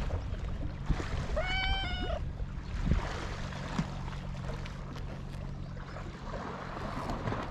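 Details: Stray cat on a cat island beside the sea, filmed with a GoPro HERO8, gives a single rising-then-level meow lasting under a second, then only the low roar of surf and wind continues.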